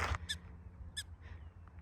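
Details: Prairie dogs in a colony beside trails near Boulder Reservoir, Boulder, on a June morning, recorded on a cell phone during a run: two short sharp barks with bright harmonic stacks about 0.7 seconds apart, over low rumbling wind noise.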